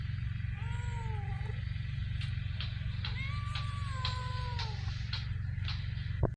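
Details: Homeless street cats in Ras Al Khaimah, UAE: two long wavering meows, the second higher and longer with a falling tail, among soft clicks and taps. A steady low rumbling drone and a thin high tone persist in the background.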